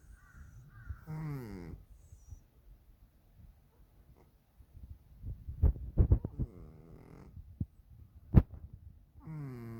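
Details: Dalae, a plump pet cat, snoring during sleep and keeping its owner awake; one rough, harmonic snore at the start and another at the end, with sharp tapping and knocking noises in between.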